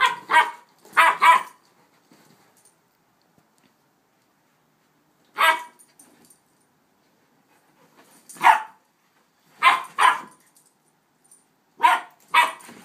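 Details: Two young dogs playing, a one-year-old Rhodesian and an eight-week-old Shepherd/Rottweiler puppy: short sharp barks, mostly in pairs, separated by pauses of one to four seconds, with a quiet room otherwise.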